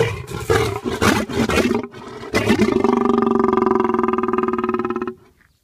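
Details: An angry lion gives a loud, rough roar. It opens with harsh broken bursts, then settles into a long, steady, pulsing roar of about three seconds that ends abruptly.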